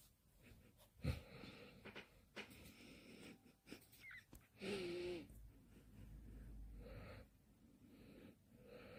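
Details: A dog asleep, snoring with wheezy, whistling breaths; a louder snort near one second, a sustained whistled wheeze around five seconds, then softer breathy snores.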